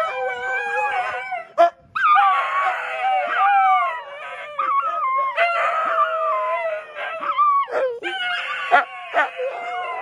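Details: Tony, a pet dog, howling at one o'clock in the morning after waking his owner to be tucked in again: a long, wavering, sing-song howl with whiny rising and falling tones, broken by short pauses, continuing for about ten seconds.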